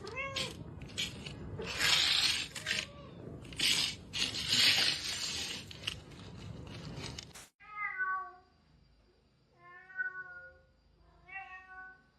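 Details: Domestic cat meowing indoors: loud rustling and scraping with voices fill the first seven seconds, then three clear, drawn-out meows follow, spaced a few seconds apart, over a faint steady high-pitched hum.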